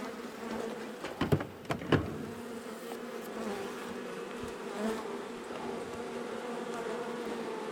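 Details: Agitated honey bees from a long-time wall colony in a house, stirred up at dusk on day one of a cutout in March: an unbroken, even buzzing drone, interrupted early by several sharp knocks or taps.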